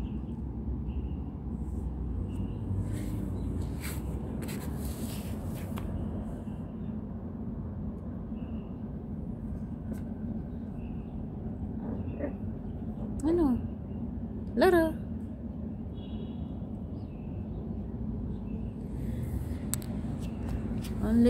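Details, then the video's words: A hungry two-month-old puppy gives two short, high, rising whines about a second and a half apart. A steady low hum fills the background, with faint voices nearby. "Hungry puppy"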